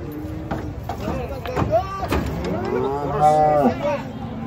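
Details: A bellowing cow among many cattle taken down from a truck: a rising, arched moo near the end follows shorter lows and knocks, with voices in the background.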